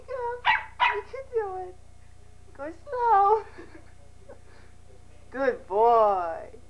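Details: Pembroke Welsh Corgi puppy Major, indoors and learning the stairs, lets out clustered high yips and drawn-out wavering whimpers, ending in a longer quavering whine, with an encouraging human voice nearby.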